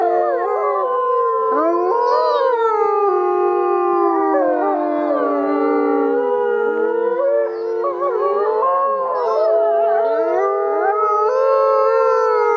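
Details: Grey wolves howling together at Asahiyama Zoo during the winter snow-lantern evening event; several long, overlapping tonal howls sliding up and down at different pitches, forming a continuous chorus with no gaps.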